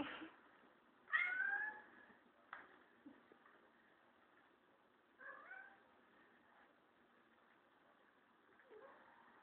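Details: Kurilian Bobtail cat indoors defending his teddy bear friend from a broom: three short meows with rising-falling harmonic bands, the first loudest near one second, then softer ones around five and nine seconds, against a steady low hiss.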